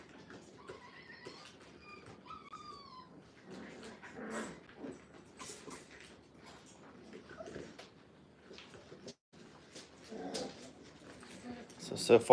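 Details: Brittany puppies, five weeks old, in their first time in a playpen: a quick run of high, whistly whimpers and yips, each sliding downward, fills the first three seconds before rustling, scratching and faint movement take over.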